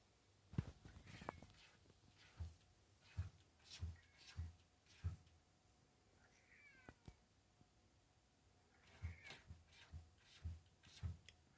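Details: Indoor cat that wants a closed door opened and knocks on it every morning: a run of dull, regular thumps about every second, a brief rising meow in the middle, then more knocking.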